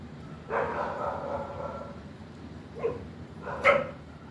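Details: Dog sounds: a drawn-out whining bark near half a second, a short yip near three seconds, then a sharp bark near three and a half seconds over steady low background noise.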